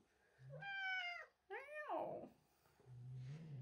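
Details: Domestic cat angered by a newly arrived young kitten gives two harmonic, wavering yowls, the second sliding downward, followed by low rumbling noise and faint voices.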